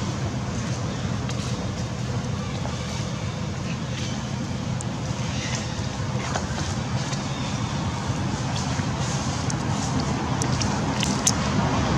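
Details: A continuous low roar of road traffic and wind fills the recording, with faint human voices and scattered clicks. No distinct animal calls stand out.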